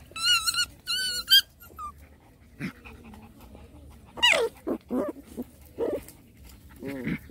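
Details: Playing Rottweiler puppies in a mock fight, opening with piercing high squeals, followed by scattered short growls and sharp yips.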